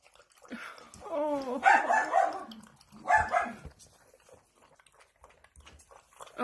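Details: Sausage dog waiting for food lets out a wavering rising-and-falling whine, then two loud harsh barks roughly a second apart, with quiet household talk in the background.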